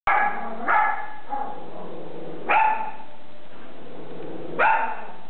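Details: Pet dog barking when strangers suddenly appear at the door; three loud, sharp barks spaced about two seconds apart, each with a bright, ringing tone, in a quiet indoor setting.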